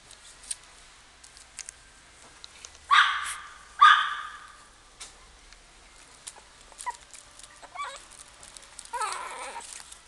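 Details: A Shih Tzu at a pet shop gives two sharp, high yapping barks, then softer whining whimpers.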